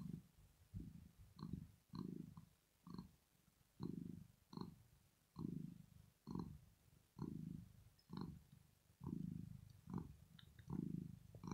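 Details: Loud, continuous purring from Rosetta, a female domestic cat sleeping contentedly. Deep throbbing rumbles pulse about twice a second with a regular breathing rhythm, rich and resonant throughout.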